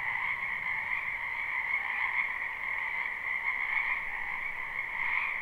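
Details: Spring wetland frog chorus recorded live without looping, a continuous shimmering drone of many overlapping high trills holding an even pitch throughout, softly swelling and fading.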